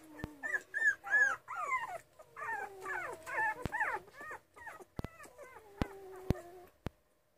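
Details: Miniature Schnauzer puppies at two and a half weeks old, several pups whimpering and squeaking together in thin, wavering, rising-and-falling cries, overlapping and uneven, with a few sharp clicks in the background.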